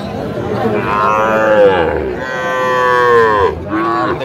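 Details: Young Sahiwal bull calves at a cattle market in Gazipur, Bangladesh, on 22 December 2024: two drawn-out, bellowing moos with rich harmonics, the second long and steady, then a shorter third call, over a background of market crowd noise.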